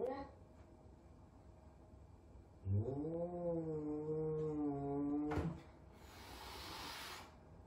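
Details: F2 Savannah cat, a big cat frightened of a little kitten at their first meeting; a drawn-out wavering moan lasting nearly three seconds, slightly rising then level, followed by a short burst of hiss-like noise and quiet room sound.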